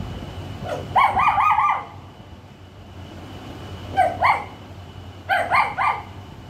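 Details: Young puppy barking for the first time, its voice described as great: three bursts of high, slightly wavering yelps and yaps, each about a second long, with quiet pauses and a low background hum.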